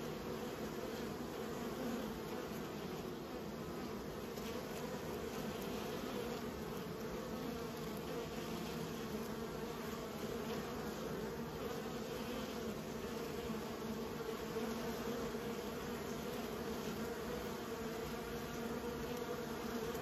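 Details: Honey bees being raised by a beekeeper, a steady, dense colony hum with low droning bands and a continuous buzzy texture throughout, no other clear sounds.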